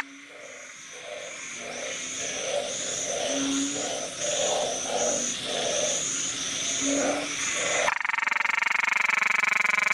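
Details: Close-range Nikon camera recording of a small, loud-voiced narrow-mouthed frog puffing itself up: evenly spaced short croaks, roughly four per second, run for eight seconds, then give way to a harsh buzzing noise.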